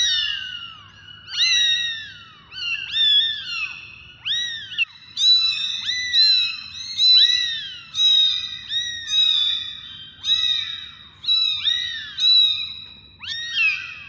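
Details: Several kittens meowing almost without pause, high arched cries overlapping and following one another in quick succession, some rising sharply and others falling away.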